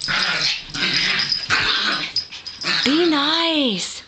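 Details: Female Yorkshire Terriers playing with each other indoors: steady play growling and snarling, then a long wavering whine that rises and falls near the end, with a woman's voice faintly behind.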